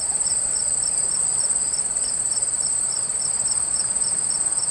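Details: Steady insect chorus of crickets near a water stream, a piercing unbroken high trill plus regular repeated chirp pulses several per second, with gentle continuous rushing water underneath.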